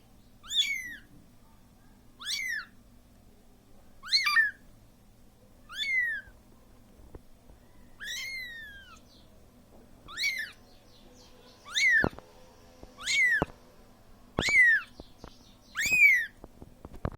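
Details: Siamese kitten calling for its mother who left it alone: high, piercing meows that fall in pitch, repeated about every one and a half to two seconds, ten calls in a quiet room with faint clicks.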